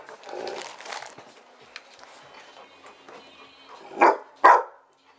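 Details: Old English Sheepdog demanding food indoors as a woman talks to it, followed by two loud, abrupt barks near the end.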